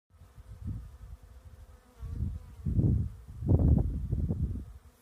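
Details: Bees buzzing in a lavender field, low droning hum that swells in uneven bursts as insects pass close, loudest near the end, with a faint steady background hiss.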